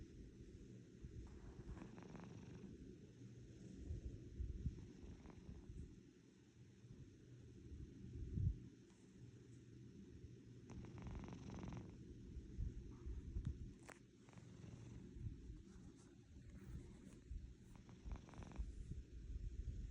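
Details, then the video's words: Low, engine-like purring from a domestic house cat, a rough steady rumble that fades slightly midway then returns, with occasional soft handling noises. "purring like an engine"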